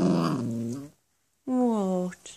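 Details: Grumpy Cavalier King Charles Spaniel puppy, four months old, indoors, protesting because he wants to sleep on the furniture instead of his own bed; two low, tonal grumbling growls separated by a short silence, each sagging slightly in pitch.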